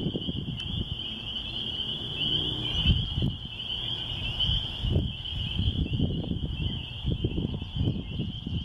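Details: Rural church grounds in the country with spring peepers calling together, a constant piercing high chorus without pause, accompanied by loud low, gusty rumbling noise.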